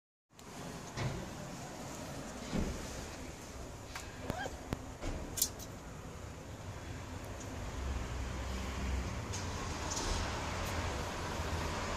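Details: Quiet indoor room tone with scattered clicks and soft knocks over a low steady hum, and no animal voice heard.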